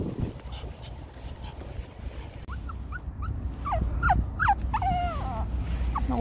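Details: Fearful nine-month-old Shih Tzu puppy whimpering on a winter walk: a quick run of short, high, thin whines, each rising then falling, growing denser toward the end, with outdoor rumble.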